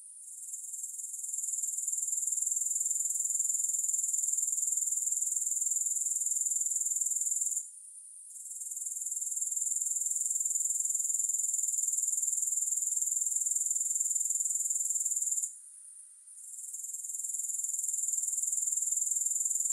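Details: Grasshoppers in a soothing, music-free recording: a shrill, high, evenly pulsed trill fades in, sustains, and twice briefly breaks off before resuming at full strength.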